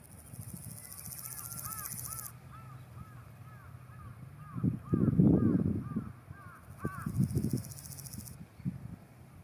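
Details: A Nakiinago grasshopper in mountain grassland stridulates, rubbing its forewing veins against its hind femur, giving two hissing, very high buzzes of about two seconds each, with a bird calling behind.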